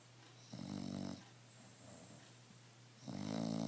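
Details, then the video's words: Emma the bulldog snoring peacefully and relaxed: two loud, gravelly snore bursts with a fluttering rattle, separated by about two seconds of quiet breathing over a low hum. "Emma mi bulldog roncando y sin estress"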